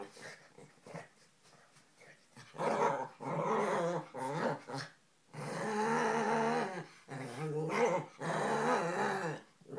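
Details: Two pet dogs, a Lhasa Apso and an Italian Greyhound, playing a game indoors; long bursts of throaty growling with harmonic whines rise and fall, broken by short quiet gaps and scuffling.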